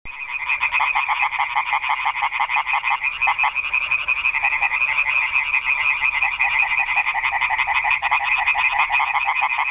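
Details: Frogs calling in a nighttime chorus at a garden pond: a dense, unbroken wall of rapid, rattling croaks from many animals overlapping, steady and loud throughout with no other sounds.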